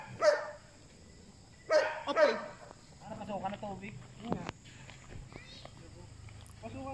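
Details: Belgian Malinois Asyong in bite work training barks three times, once and then a quick double, each sharp and strong. After that a person talks and shouts briefly over a faint low rumble.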